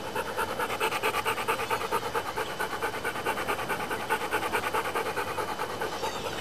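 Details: Steam-engine-like dog breathing: brisk, regular panting puffs about twice per second, hoarse and airy, continuing evenly until an abrupt stop.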